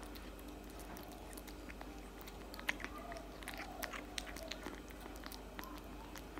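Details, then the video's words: Cat food being eaten by a tabby cat indoors, heard as a run of soft, uneven crunches and chewing clicks, with a few louder bites over faint room hum. "eating cat food for 5 minutes straight"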